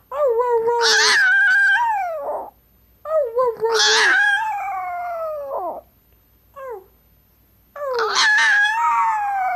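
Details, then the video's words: Tinkerbell, a female Chihuahua indoors who loves to talk and howl, gives three long drawn-out howls, each starting high and sliding slowly downward, separated by short silences, with a brief whine between the second and third. "Tinkerbell the howling Chihuahua"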